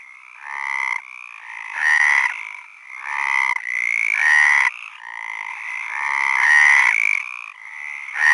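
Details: Several frogs calling together, overlapping raspy croaks with a ringing tone, each lasting about a second and swelling and fading in waves roughly every one to two seconds, with no other sounds.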